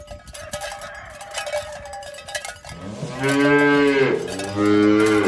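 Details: Tame cows in a herd being driven toward their pen in the morning along village roads past green grass fields; clanking cowbells first, then two loud, deep, drawn-out moos, the second following shortly after the first.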